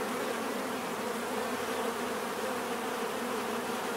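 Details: Continuous bee buzzing, a thick unwavering drone with low humming bands and a wash of higher hiss, constant in loudness for the whole stretch.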